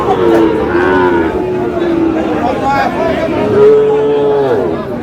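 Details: At a Chattogram cattle market in Bangladesh, Sahiwal bull calves: one long, steady moo opens the moment, then a second sustained, slightly higher moo follows after about three seconds, with traders' voices murmuring throughout.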